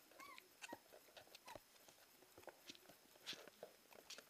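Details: Siberian Husky puppies on their first Christmas Eve, indoors, giving short high whimpers and squeaks, a rising whine near the start, amid pattering paws and rustling in a small room.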